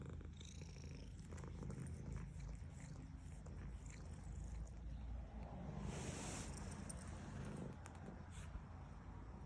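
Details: A female domestic cat purring while being petted: a quiet, steady low rumble throughout, with soft rustling of the petting hand, loudest around the middle.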